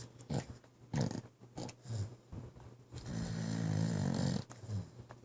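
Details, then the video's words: Sleeping pit bull Kai snores in a small room, short low rasping snorts about once a second, then a longer rattling, wheezy drawn-out snore before the short snorts return. "Pit Bull Dog Snoring"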